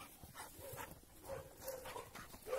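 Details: Two Labrador Retriever brothers, Oskar and Graf, raised in different families, meet and play outdoors on neutral ground; short yelping barks come in scattered bursts with rustling and a little background noise.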